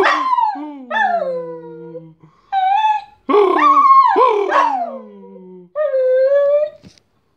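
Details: Pet dog Bosco singing while fetching the post: a string of drawn-out, whining howls that slide downward in pitch. There are about five separate phrases with short pauses, and a louder wavering burst midway, against a quiet background.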